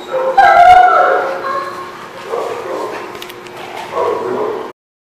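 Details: Dogs barking and yipping: a loud, tonal, whining yelp at the start, then rougher overlapping barks in bursts, ending abruptly.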